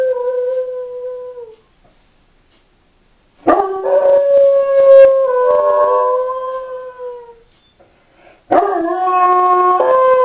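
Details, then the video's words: Female Doberman howling when left home alone: a steady tone held about a second and a half, a pause, then a long wavering howl with rich overtones sliding downward over four seconds, and a third howl starting near the end. "Howling Doberman"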